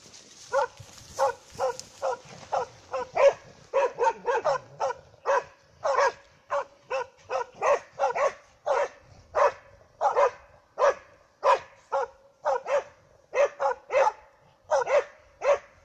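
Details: Pair of dogs keeping a moose at bay, barking steadily and persistently, sharp loud barks repeated roughly every half second with occasional overlapping doubles, no other clear sounds.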